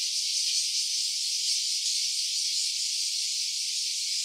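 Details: Short stretch of cicada calling, stereo-recorded on an OPPO Reno A smartphone: a sustained, piercing hissy buzz at constant volume with a faint rapid wavering.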